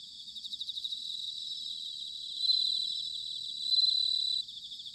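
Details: Bell crickets in autumn, Sanuki, Chiba Prefecture, Japan: fast pulsed high trills swell into two loud, bright ringing phrases about a second long each, set against a constant shimmering background chorus of other crickets.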